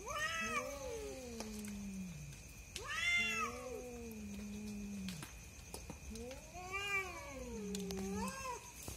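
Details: Cats fighting at night: four long, moaning yowls, each wavering and then dropping low before trailing off, with brief clicks between bouts and a constant high-pitched tone behind.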